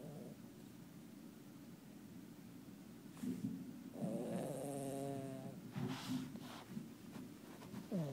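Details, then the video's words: A sleeping foster cat snores quietly indoors, with low rasping breaths that swell into a longer buzzy, wavering snore around the middle, followed by a few softer breathy snuffles. "Cat snores loud"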